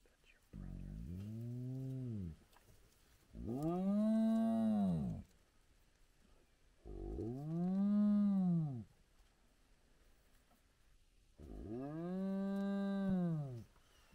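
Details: Large clan of spotted hyena gathered at their den with active cubs at sunrise: four drawn-out, low, harmonic moans, each about two seconds, swelling upward then sagging back down, separated by short quiet gaps.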